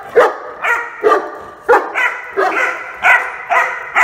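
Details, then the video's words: Rhodesian Ridgeback puppy barking in a vocal, insistent run: eight short, yappy barks in four seconds, spaced roughly half a second apart, each bright and slightly hoarse with no other sounds. "The Vocal Rhodesian Ridgeback Puppy | Barking Puppy"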